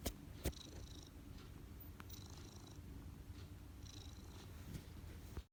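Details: Domestic cat purring while kneading: a soft, low, rough rumble running steadily throughout, with faint higher squeaks and a couple of sharp taps.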